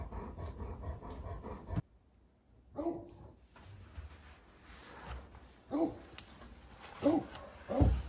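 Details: Great Pyrenees RunRun, a female born 2011, asserting she is the boss by mounting the male Alain; short rising whimpers and whines at about three, six, seven and eight seconds over a background of rustling and panting.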